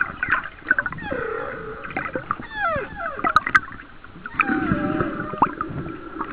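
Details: Humpback whale song recorded about one mile off the coast of Kauai in 2009: overlapping descending whistled sweeps, low groaning moans and brief squeaks follow one another densely over a bed of gurgling water noise.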